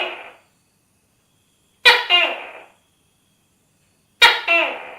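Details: The fading end of one call, then two loud, explosive double-noted tokay gecko calls, a hard first syllable sliding down into a second, about two and a half seconds apart in a silent setting.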